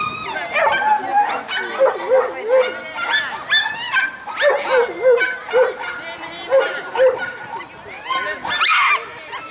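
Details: Dog barking at the Saint Petersburg championship on 12 April 2015, where a mixed-breed named Jessie and a sheltie named Lesya competed. Quick, high yapping barks come roughly twice a second, with people talking and hall noise throughout.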